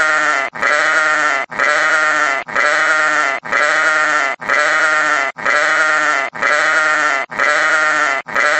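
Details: Sheep bleating: a long, wavering, nasal harmonic bleat repeated in a steady cycle, roughly once a second, each bleat almost identical with short silent gaps between.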